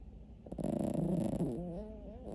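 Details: Sleeping dog giving a rough, rattling snore that turns into a wavering nasal drone, low and buzzy, about two seconds long.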